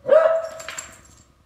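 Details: A beagle that hates the trombone barks at it: a single mid-pitched, ringing, almost howled bark that swells quickly, holds steady, then trails off with a softer, breathy tail.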